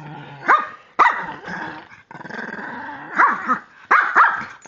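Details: A 3-year-old female Pekingese makes silly noises while playing with a person. Harsh, throaty growls swell and break into sharp bark-like yelps in several loud bursts, separated by short gaps of softer rumbling.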